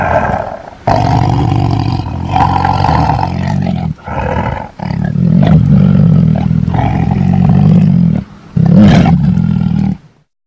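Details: Rumbling tiger roars and deep growls in uneven pulses, loudest toward the middle, ending in silence.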